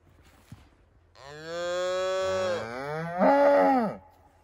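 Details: Highland cattle, Scottish breed, on a farm in Finland, in the forest, where a one-day-old calf follows its mother cow, recorded 29 October 2022 on an iPhone 11: a long, loud, rich harmonic moo in two parts, the second rising in pitch and falling away, in a quiet setting.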